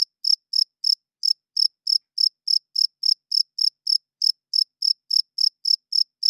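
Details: Night-time cricket song: a steady run of short high chirps, roughly three and a half per second, evenly spaced with one small gap, against total silence.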